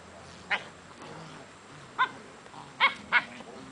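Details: English Springer Spaniel puppies playing with their brothers and sisters on the day one is collected by his new family; four short, sharp high yelps at about half a second, two seconds, and twice near three seconds over a soft background hiss.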